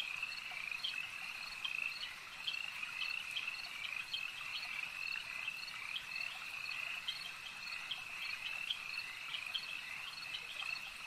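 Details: Frogs croaking together at a lake: a continuous piercing trill with closely spaced pulsed notes repeating throughout, a dense chorus with no pauses.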